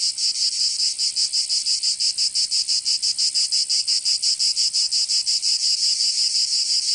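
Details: Cicadas singing in summer in Provence, southern France: a loud, dense, rasping buzz pulsing about three times per second, steady and unbroken, with no other sounds.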